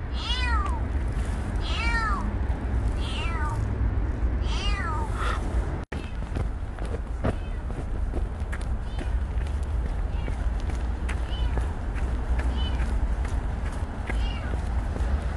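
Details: Stray kitten named Petit giving a short run of four or five arched meows in the first seconds, then only rustling, footsteps and a steady low outdoor rumble.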